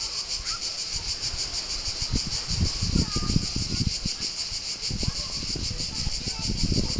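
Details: Shrill, unbroken cicada drone by the beach at Palombaggia, Corsica, finely pulsed and high-pitched, overlaid by repeated low gusty thuds and rumbling noise.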